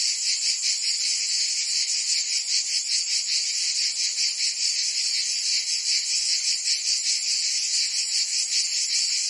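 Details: Provence cicadas, France, singing in summer: a relentless shrill buzzing wall of sound, high in pitch, with a faint rhythmic throb about every half second and no other sounds.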